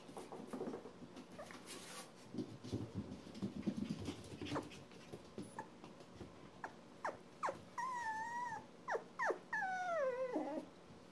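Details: One-month-old Poodle puppies whimpering: a busy run of short clicks and scuffles, then high whistled whines that bend up and down, several drawn-out wavering cries near the end.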